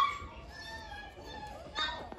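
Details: German Shepherd puppy at an Indian dog kennel whining in a long, steady, high-pitched tone that fades, then rises again in a brief louder burst, with male speech in the background.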